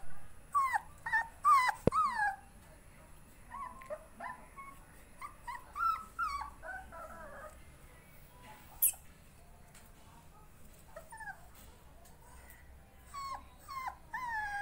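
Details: A playful Rottweiler puppy from champion lineage in Kerala, India, whines in thin, wavering high notes that rise and fall in quick bursts, with a sharp yelp or two among the whimpers over faint background noise.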